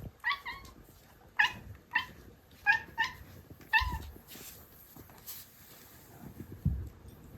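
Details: Pet female long-legged Munchkin cat, three years old, calling for food indoors: five short, clipped meows given in quick succession over about three seconds, then quiet room noise with a few soft thumps.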